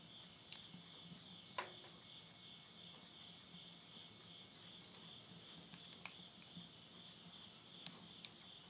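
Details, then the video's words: Insects trilling at midnight in Yurihama, Tottori, Japan, late summer of September 2020; a constant bright, high shimmering drone in two bands continues beneath occasional loud cracks and pops from a wood fire in a stove. "the voice of insects"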